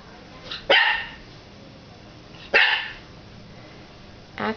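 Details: A 9-week-old puppy named Axel, having discovered his reflection in a fireplace glass door, gives sharp, noisy barks spaced about two seconds apart, with a fainter third bark at the end, indoors.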